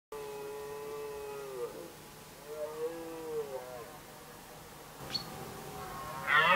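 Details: Red deer (Cervus elaphus) stags contesting the hinds in Västmanland, Sweden, 2010, giving drawn-out, moaning bellows with a rich, slightly wavering tone.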